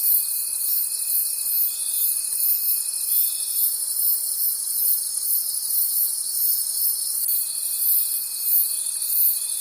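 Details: Night forest crickets in full chorus, a shimmering high trill pulsing about three times a second, joined by a sustained pure tone that drops out midway and returns near the close.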